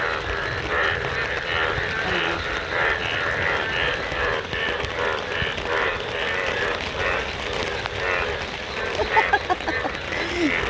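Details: A dense chorus of yellow frogs in monsoon rain, sitting in grass and rainwater, many overlapping croaks pulsing together without pause; recorded under an umbrella.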